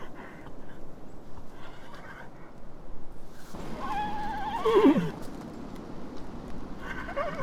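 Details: Horse neighing: a single whinny slides steeply downward near the middle of the clip, with a softer rising call at the end, over steady hiss and rumble.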